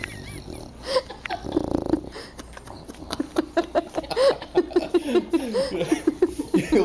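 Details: Sleeping pet dog roused by the smell of a small food treat; heavy snoring breaths give way to a fast run of sharp, nasal snorts and sniffs that come several times a second and grow louder toward the end.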